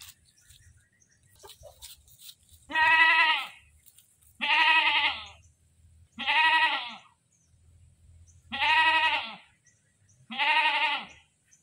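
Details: A goat screams in five loud, rough bleats, each under a second, repeated about every two seconds with low rumbling noise between calls.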